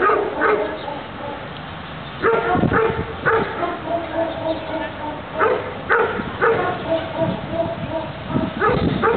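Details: Doberman barking in a defence exercise: scattered loud, gruff barks come in clusters separated by quieter stretches, with human speech running through the background.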